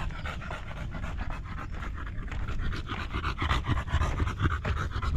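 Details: Buding the Golden Retriever, described as caring for her master, panting steadily at about four breaths per second, rough rhythmic huffs growing slightly louder toward the end.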